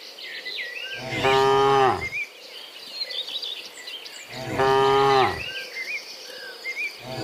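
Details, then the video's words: Cows mooing in the morning while returning from the field to the pen, two loud harmonic moos about a second long, three and a half seconds apart, over a background of chirping birds and insects. "Sound Dozens of Moo Cows in the Morning, Returning from the Field to the Pen, the Sound of Cows"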